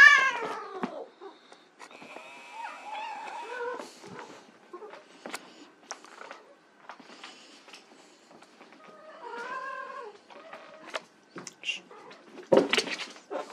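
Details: White Persian kittens at play give several short, arched, harmonic meows, one opening the stretch and a cluster of rising-falling mews near the end, between quiet pauses, scattered clicks and bumps.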